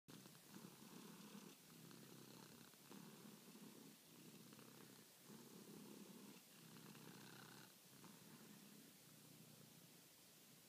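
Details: Charlie, a pet domestic cat, purring at night while kneading and asking to be petted; a steady low rumbling purr in long breaths, each lasting over a second with brief pauses between inhale and exhale.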